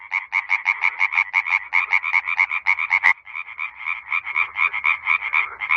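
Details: Tree frog in Bulgaria, a male calling at night near water to attract females, gives a rapid, nasal, clacking series of pulses, about four per second, continuing steadily without a break.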